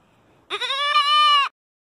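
A goat gives a single nasal, wavering bleat lasting about a second.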